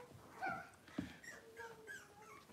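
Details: Cavalier King Charles Spaniel puppy, six weeks old, indoors during deworming and toenail trimming, gives soft, thin, steady whimpering tones in short drawn-out notes over a quiet room background.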